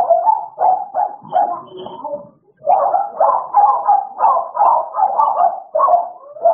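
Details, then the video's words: Playtime between the American Bullies Idol and Alice brings choppy barks and yelping calls, a short break midway, then a quick string of repeated barks close together. "American bully idol and alice playing time"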